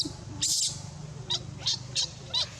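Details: Abandoned monkey crying very loud: a string of shrill, piercing high-pitched bursts, one long scream followed by four shorter sharp cries at roughly half-second intervals, over a low background hum.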